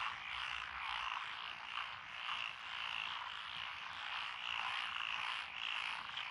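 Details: Frogs calling from lotus rice paddies beside a country road in Echizen, Fukui Prefecture, Japan, on 12 June 2021; a dense, unbroken chorus of rapid croaks swells and fades in waves, many voices overlapping at once.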